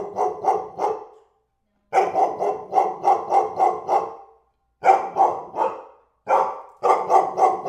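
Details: Dog barking in clustered volleys of three to six harsh, evenly spaced barks separated by brief silences, loud and near, nothing else audible.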